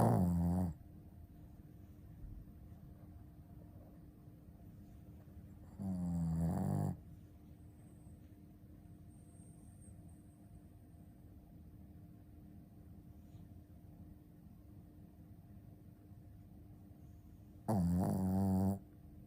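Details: Shih Tzu named Ponta snoring loudly: three deep, rattling snores, each about a second long and coming every five to eleven seconds, with quiet room hum and soft breathing in between.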